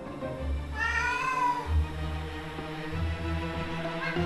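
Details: A house cat, a former stray, cries at night while its owners sleep: a single drawn-out meow swelling upward then sliding down. It prowls by its food bowl, scratches, then heads to the bedroom seeking its owner. Soft background music throughout; cat.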